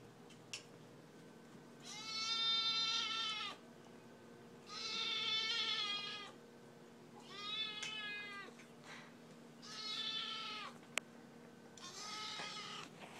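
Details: Siamese kitten named Brie, hungry and meowing loudly for her dinner while it is being prepared: five long, harmonic, slightly arched meows, each about 1.5 seconds, spaced roughly every 2.5 seconds in a quiet indoor room.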